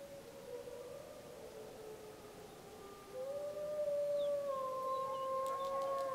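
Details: Snake River wolf pack howling in the Summit Ridge area, Wallowa County, on July 25, 2012, pack members returning a pup's howls: layered long smooth howls, one swelling louder and rising midway, held steadily, with a faint higher yip.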